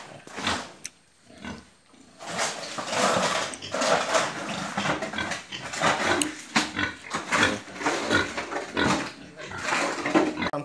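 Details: Farmed pigs kept in the traditional local way in Assam, India, giving harsh, noisy squeals and grunts in irregular bursts, some short and some drawn out, with brief pauses between them and faint voices in the background.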